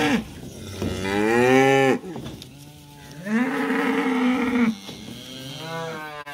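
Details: Cows and calves on their way to summer pasture moo loudly, with three long, deep, harmonic calls, each lasting over a second and separated by short pauses, in a quiet outdoor setting.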